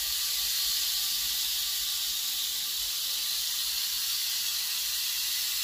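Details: Rattlesnake from a private collection, billed as America's largest viper, emitting an even, sustained high-pitched hiss with a steady loudness across nearly six seconds and no other clear sounds.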